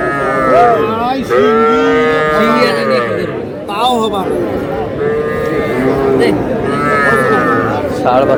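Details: Small bull and heifer calves at a Madaripur market, Bangladesh, 17 February 2026, lowing repeatedly: several long, rich moos follow one another across the stretch, with crowd talk murmuring beneath.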